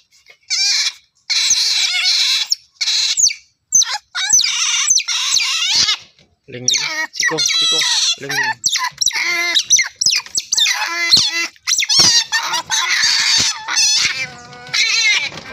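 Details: Otter voices: loud, high squeaky chirps and wavering squeals in dense bursts, separated by brief silences and overlapping at times, rising and falling in pitch.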